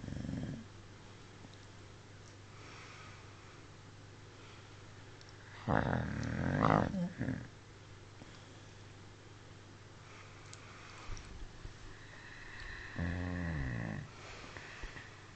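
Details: Snoring from Smudge the dog: one gravelly low snore midway, surrounded by long quiet stretches, followed later by a softer, falling, more tonal exhalation.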